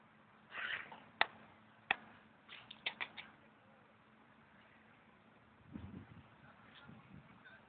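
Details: A hungry female cat that came to a tent at the S.P.N.I. Field Schools campground on the last night of a stay gives short, plaintive, heart-breaking meows in two bursts, with sharp clicks between them and quieter rustling later.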